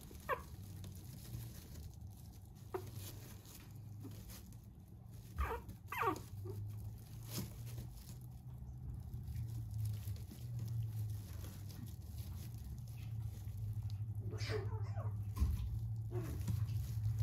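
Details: Red Maltipoo, a small breeder's puppy with a neat coat, lets out a few brief falling whines spread over the clip, with soft pattering and a steady low room hum underneath.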